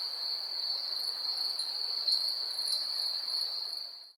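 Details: Night crickets in a 3D ambient recording give a continuous high, even trill that holds steady, then fades out at the end, with faint brighter flickers above it.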